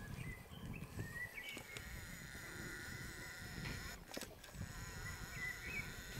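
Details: Pelophylax green frogs calling at Cerkniško jezero on 15 May 2023: short, grating, rapidly pulsed croaks low in pitch, with a steady high whine running throughout and a brief loud crackle near the four-second mark.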